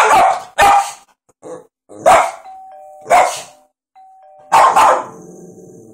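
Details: Pet dog Sundae reacting to an iPad doorbell ringtone indoors: harsh, forceful barks come in uneven pairs and singles, a two-note ding-dong chime sounding between them.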